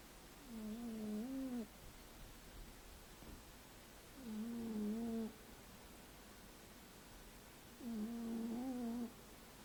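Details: Sleeping cat snoring in three steady, tonal, nasal snores, each lasting about a second and coming every three to four seconds, with quiet pauses between them and nothing else audible.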